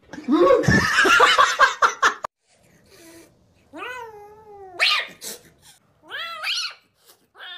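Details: Cat giving drawn-out, wavering meows and caterwauls with rising and falling pitch, after a burst of loud, clattering noise at the start.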